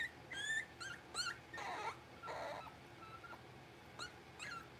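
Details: Blenheim Cavalier King Charles Spaniel puppies, six weeks old, born on New Year's, in a home pen: thin high-pitched whimpers and squeaky yips, alternating with a couple of coarser whiny cries, over a faint background hiss.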